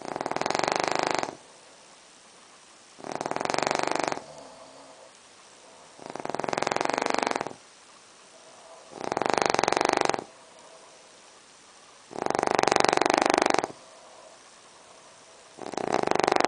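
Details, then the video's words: Brachycephalic dog with brachycephalic obstructive airway syndrome snoring very loudly in a bedroom at night: harsh, rasping broadband snores lasting about a second, roughly every three seconds, six in a row with quiet pauses between. "Loudest Snoring Dog"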